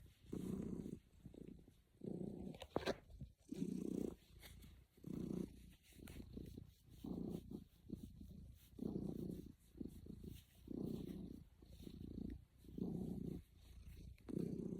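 A domestic cat purrs steadily, a low rumbling throb that swells and fades with each breath.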